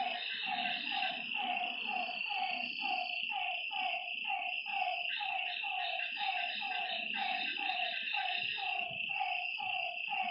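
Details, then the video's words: Night-time frog calls by a lakeside: a long, even sequence of brief, descending croaking notes roughly twice a second, accompanied throughout by a dense, high-pitched insect chorus. "Lakeside night creatures and frog sounds"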